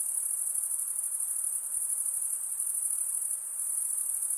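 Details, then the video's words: Night-time insect chorus: a constant piercing high trill with a slight rapid pulsing texture, steady in loudness over a soft low background hiss. "night insect sounds"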